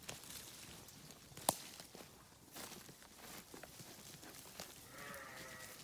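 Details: A sheep grazing in pastures gives a brief, wavering bleat near the end, over a steady hiss of wind or background noise.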